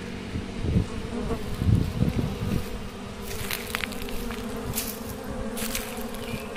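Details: Naturally swarming Asian honey bee colony producing a low, sustained drone with louder bursts early on, followed by several sharp, hissing clicks and rustles over the continuing hum.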